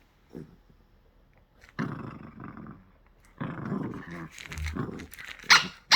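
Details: Poodle being asked for its paw gives low, rough growling grumbles in two drawn-out bursts of about a second each, then a sharper squeaky yelp at the end, inside a quiet room.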